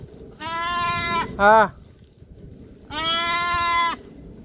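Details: Farm goat whose young has gone missing bleats: a long, steady harmonic bleat, a brief higher quavering bleat, then another long level bleat, with faint background hum.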